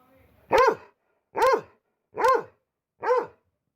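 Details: A pet dog gives four loud, sharp barks, evenly spaced under a second apart, each a short clipped yelp against a quiet background.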